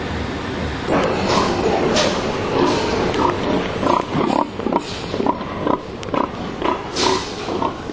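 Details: Domestic pigs penned overnight in narrow boxes at a Swedish slaughterhouse, awaiting morning slaughter, many stressed; short grunting bursts repeat irregularly about twice a second over a steady hall hum, with several animals calling together.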